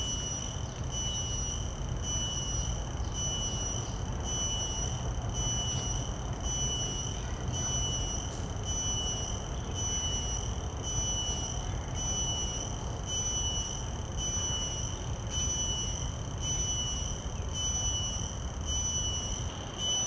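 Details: Common cicada in a field recording with Sennheiser 416 and Deity S Mic-2 shotgun microphones feeding a Zoom F3: a shrill continuous buzz with high overtones, pulsing in regular bursts roughly once a second throughout, with low rumble beneath.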